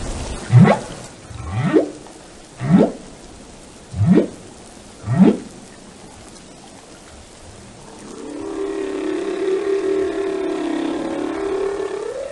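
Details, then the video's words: Whale vocalizing: five short upward-sweeping whoops in quick succession, then a sustained, slightly wavering mid-pitched moan with layered overtones, over a gentle hiss of water. "the sound of a whale"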